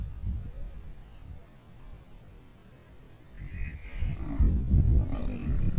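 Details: Lion pride cornering a crocodile in the wild: after a quiet stretch, deep low rumbling growls swell and grow louder toward the end, with faint higher voice-like sounds in the background.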